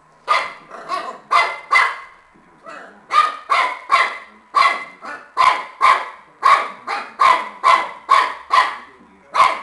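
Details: Shar Pei puppy playing with a tennis ball, barking steadily and rapidly, about two barks per second, each bark a short bright yap.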